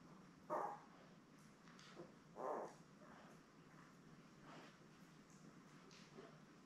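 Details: Labrador Retriever puppies, seven newborns born May 24, 2021, beside their mother Belle, watched on an indoor live cam. Two short, tonal squeaky yips about two seconds apart, then fainter murmurs over a quiet room hum.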